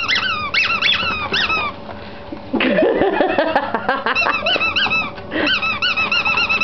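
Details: Pet ferrets playing indoors during a workout, giving rapid high arched squeaks in quick bursts, a tangle of overlapping calls in the middle, then a steady run of repeated rising-falling squeaks.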